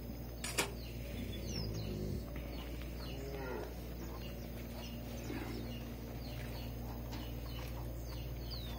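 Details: Cattle in a corral at a farm in Resplendor, Minas Gerais, Brazil, on the morning of 1 March 2020, during hand milking while calves suckle. A low, harmonic moo rises in the first two seconds over steady hum, birds chirping and corral noise.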